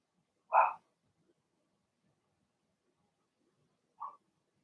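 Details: Cavalier King Charles Spaniel puppy in a home puppy pen, one of a Blenheim litter of six, giving a single loud yap followed several seconds later by a softer, shorter yip.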